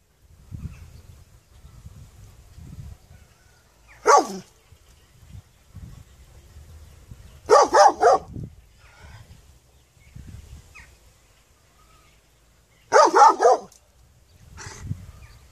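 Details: A puppy barking in three short bursts spaced several seconds apart, each a quick cluster of sharp yappy barks, with quiet low rumbling between them.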